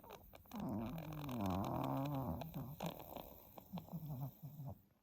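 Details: Sleeping ten-month-old Pomeranian Stella snores heavily, breathing appearing laboured, after earlier reverse sneezing; a long raspy, wobbling snore swells then breaks into shorter snorting bursts with clicking sounds.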